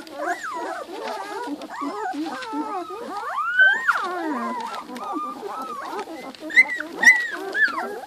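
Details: Several two-week-old Giant Schnauzer puppies whimpering together, a busy mix of thin wavering squeals and rising whines, with a few louder sharp yelps near the end.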